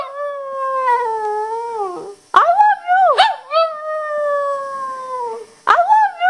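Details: Pet Shih Tzu responding with howls as its owner says "I love you", apparently telling her she is annoying it. Long sustained howl slowly falling, then short bent yips and another extended descending howl.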